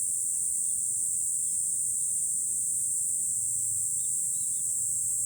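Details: Cicadas in July, heard from a hilltop overlooking Fukuoka City, Japan: a steady, dense, high-pitched hiss-like drone fills the whole stretch, with faint scattered bird chirps beneath it.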